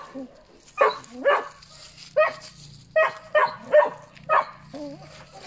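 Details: Puppies letting out high yaps and short whining rises, about eight calls in uneven rhythm, some ending in a wavering squeal.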